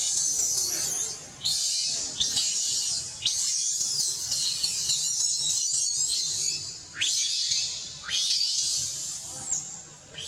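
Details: Baby monkey crying for milk, mother absent: a run of sustained, shrill, hissing screams with brief gasping breaks, several cries opening with a quick upward slide.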